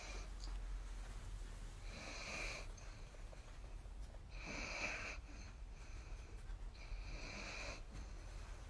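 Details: Sleeping dog snoring while its brother dog sits on it during an evening cuddle on a sofa indoors; slow rhythmic snores with breathy hiss, each drawn breath about every two to three seconds, steady low rumble beneath.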